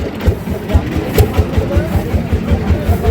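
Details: Rhythmic music with a steady low beat plays over crowd murmur and vehicle noise at a cattle market; no animal sound stands out.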